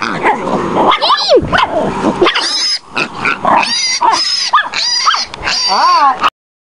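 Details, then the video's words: Small Chihuahua, Tootie, baying a wild boar piglet, with harsh barks and shrill, whistling squeals repeated in bursts before an abrupt cutoff into silence. "tootie bayin a wild boar pig"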